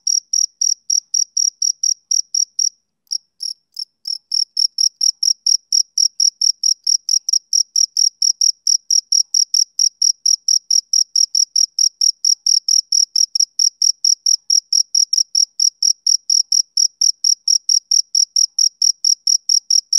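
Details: Long run of male cricket chirping, typical of summer evenings: sharp high chirps in a steady rhythm, briefly interrupted near the start, then continuing evenly for the rest, with nothing else heard.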